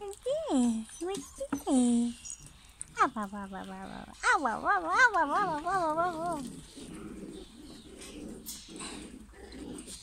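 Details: Young German Pinscher puppies of a 2022 litter in the UK whine repeatedly: sliding, falling squeals, then a run of wavering, quavering cries, fading into low snuffling grunts.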